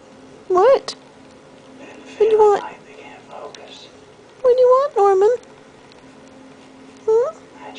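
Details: Norman Bates, a talkative male house cat, demanding petting with five short arched meows, two of them back to back midway, separated by quiet pauses.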